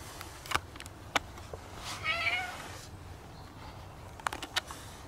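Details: Stray black cat rubbing against a visitor at a shrine utters a single clear meow, surrounded by sharp clicks and tapping sounds from handling.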